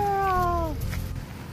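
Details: Molly, a nine-month-old Husky Labrador mix, during an obedience training session, gives a single tonal whine of under a second that slides gently downward and fades, between spoken commands to break, sit and lie down.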